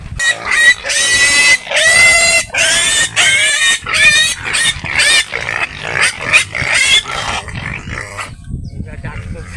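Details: Pigs on a farm holding twenty-eight animals give a run of loud, shrill, wavering squeals in quick succession, fading after several seconds, with a man talking nearby.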